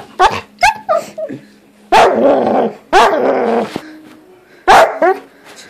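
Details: Doodle dog making new sounds: a series of loud, rough barks and yelping calls, some drawn out and strained, given in bursts with short pauses between them.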